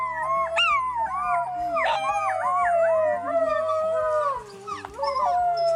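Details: Several wild gray wolves howl together, long sliding tones overlapping with yips and wavering, rising and falling voices.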